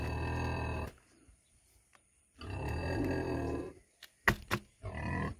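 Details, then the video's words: A 100 kg female pig produces long, rasping low grunts, one lasting nearly a second and another over a second and a half, with sharp clicks and knocks between them. "PIG SOUND"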